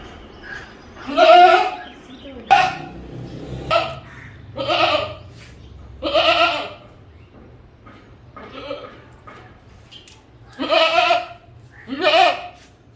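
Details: Goat bleating in a run of about eight wavering, nasal bleats over thirteen seconds, some long and quavering, others short, separated by brief pauses with a low background hum.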